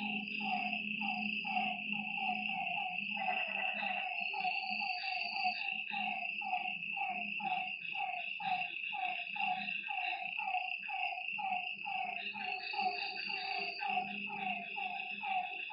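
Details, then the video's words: Frogs at a lakeside after dark produce a rapid, overlapping run of short pulsed notes, with a low throbbing purr and a constant high-pitched insect hum throughout. "Lakeside night creatures and frog sounds"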